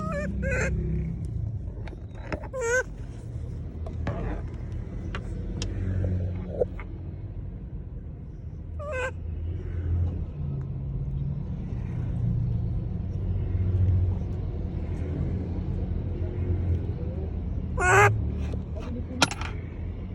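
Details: Monkey calling out to people: short, sharp harmonic cries at about 0.3, 2.7, 9 and 18 seconds, each a quick shrill burst, over a steady low engine-like rumble with faint voices.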